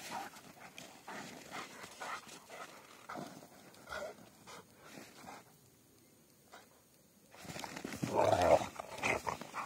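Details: Rottweilers Trisha and Ron play fighting together, heard as snarling growls and panting with scuffling movement, a quiet gap in the middle, then a loud burst of growling near the end.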